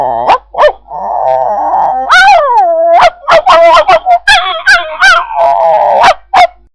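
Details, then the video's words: An angry dog snarls with a sustained raspy growl, interrupted by loud barks and higher snapping yelps that come in quick bursts before a final growl. "Efek Suara Anjing Marah | Angry Dog Sound Effects"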